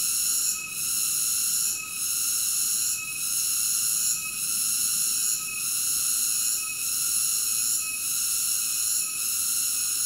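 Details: Cicada song as a constant high-pitched metallic whine, rhythmically dipping about every 1.2 seconds in a steady cycle; no birds, water or people heard.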